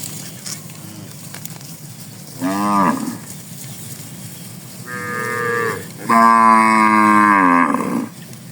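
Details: Tame cattle in a herd on a wide green rice field in the morning, grazing on grass; three harmonic moos, a short one, a mid-length flat one, then a long loud bellow rising and falling, over quiet rural background.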